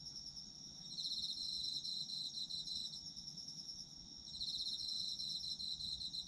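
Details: High-pitched trilling of autumn insects, used as sleep ambience, with louder bursts of rapid pulsed chirping arriving in waves over a constant soft background chorus.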